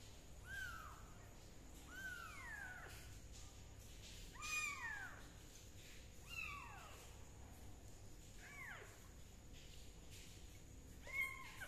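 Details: Kitten treated with leaf juice for a fungus problem cries in six drawn-out meows about two seconds apart, each starting high and sliding downward, against quiet indoor hum.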